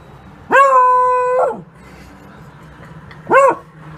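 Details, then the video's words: Dog from a compilation of barking dogs and puppies: one long, steady, tonal yelping howl lasting about a second, then after a pause a single short, arched bark, over a quiet background hum. "Dog Barking - Funny Dogs Barking And Puppies Barking"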